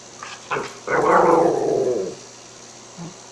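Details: Pet Cairn Terrier indoors, vocalizing as it is asked about dinner: a couple of short yips, then a long, rough, growly moaning sound lasting about a second, falling slightly in pitch, with a faint short grunt after a pause.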